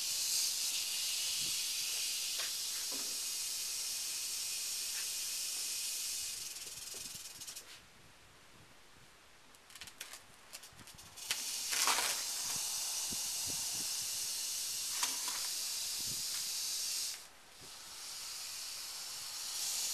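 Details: Northern Pacific rattlesnake, Crotalus oreganus, giving a steady broadband hiss, loud and continuous for several seconds, then pausing briefly and resuming in bursts; short quiet gaps interrupt the breathy, noise-like sound.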